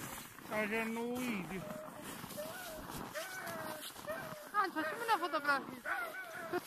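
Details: Siberian Huskies at a husky farm in Rovaniemi, Finnish Lapland. Several dogs whine and howl together in overlapping, wavering, mid-pitched tones that rise and fall, forming a continuous restless chorus throughout.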